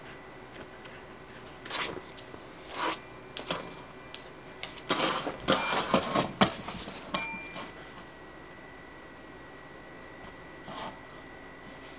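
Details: Indoor jingling and clattering from a hanging bell, with scattered knocks and a faint steady tone, and no animal voice.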